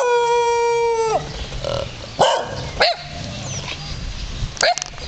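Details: Free-roaming dogs greeting visitors at a temple in Ayutthaya, Thailand: a long steady whine opens, then a few sharp barks and yelps scattered over the next seconds, with a rooster and other background sounds.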